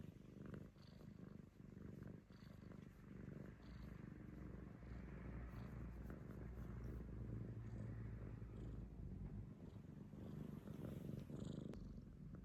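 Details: An affectionate rescued house cat purring indoors: a soft, steady, low rumbling purr, pulsing about four times a second, with faint rustling.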